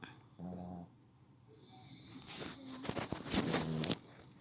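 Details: Pet dog snoring while asleep: a brief low tonal hum near the start, then a loud, rasping, breathy snore of rough noise swelling over about two seconds before fading to quiet.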